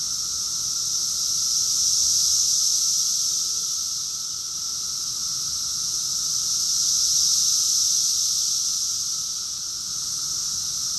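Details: Chorus of cicadas recorded in June 2021 at Rockville, Maryland, USA: constant piercing drone that pulses in two slow surges, louder then softer, without birds or voices.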